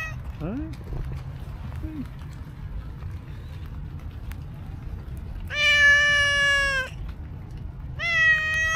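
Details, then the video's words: Street cat with cow-like markings approaching someone, uttering a long steady meow followed by a brief rising one; faint human voice and soft low traffic-like rumble earlier in the recording. "Incredibly Cute Cow Cat came to me with sweet meow"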